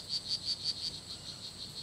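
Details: Strawberry poison frog calling at La Selva Biological Research Station, Costa Rica. High, buzzy chirps repeat rapidly, about five or six a second, over quiet forest background.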